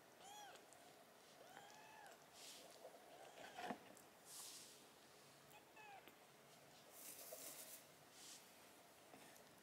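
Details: Sickly rescued Siamese-tabby kitten with silver tabby coat, taken in after an emergency SOS in Tokyo, on a hunger strike; short arched high meows come in a loose series, about five over ten seconds, over faint indoor rustling.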